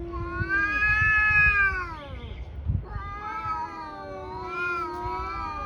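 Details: Fighting pair of tabby cats: a sustained, wavering yowl held for nearly two seconds, a short break, then another long undulating wail, strongly harmonic and loud, with low thumping noise beneath.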